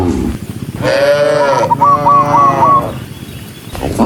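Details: Tame cattle walking in a herd of tens of thousands. One long, wavering moo swells and holds for nearly two seconds, joined by a short string of high chirps, with background rustle.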